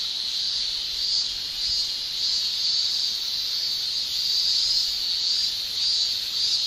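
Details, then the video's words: Male cicadas shrilling in summer in Japan, their tymbal song a dense, steady high-pitched hiss that swells and fades gently every second or so, with no other sounds. "Japan Summer Cicada Shrilling"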